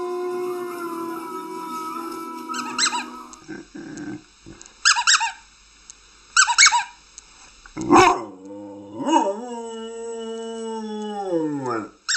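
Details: Dog giving a low wavering tone, then short squeaky yelps, and finally a sustained howl that bends downward at the end. Taken from a compilation of singing and howling dogs.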